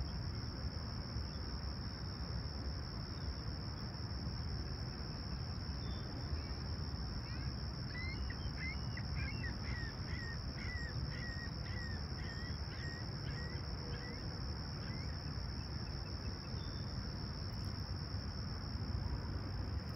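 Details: Chirping crickets on a calm, clear July 28, 2020 summer sunrise in Humber Bay Shores, Toronto, 20ºC. An even, high continuous trill persists throughout while a bird sings a rapid rattling series of notes in the middle; low rumble underneath.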